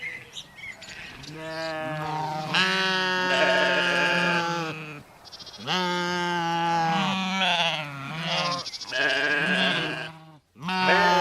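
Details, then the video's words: Sheep bleating in a compilation of sheep recordings: a run of long, wavering harmonic baas, several overlapping, each lasting one to three seconds with brief gaps between. "SHEEP SOUNDS FOR KIDS EDUCATION - Baaing, Bleating, Yelling & Screaming HD Sounds"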